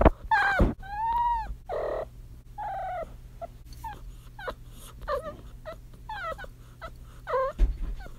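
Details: Female kitten in heat trilling; a rapid run of short, bending chirps and warbled trills, several rising then falling, tumbling out every half second or so over a steady low hum.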